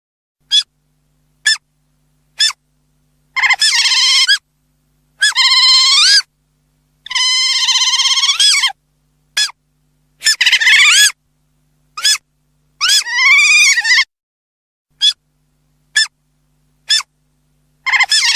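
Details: Otter giving loud, high harmonic squeals in short bursts and longer wavering whines, with abrupt silent gaps between calls and a rising-then-falling pitch on the longer notes.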